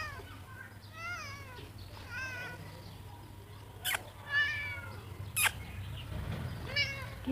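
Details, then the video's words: A cat gives a series of short, bending meows spaced about a second apart, with two loud knocks in the middle and a quiet hum underneath. "cute cat 😺 meowing"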